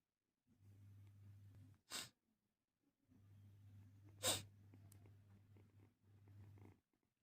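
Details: Domestic cat just freed of its fleas, purring in a steady low rumble in three stretches, broken by two sharp, hissy sneeze-like bursts near the second and fourth seconds, with quiet gaps between.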